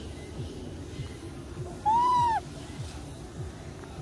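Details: Baby macaque, abandoned by its mother, lying on the ground crying: one clear, tonal, arched wail lasting about half a second, rising then falling, over a low, steady background hum.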